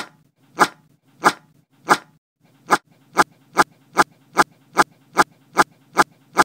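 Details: Dog named Marley gives a rapid series of short, sharp barks indoors. The barks come in a steady train that speeds up toward the end, with a low growling rumble running beneath them.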